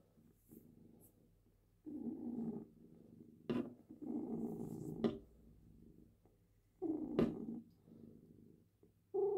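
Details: Steady purring bursts from a female cat as her claws are trimmed indoors, with repeated sharp clipper snips cutting through the low rumble.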